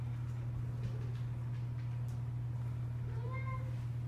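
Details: Cats playing with new toys; one short meow with a clear harmonic stack rises and then falls near the end, over a steady low electrical hum and faint rustling.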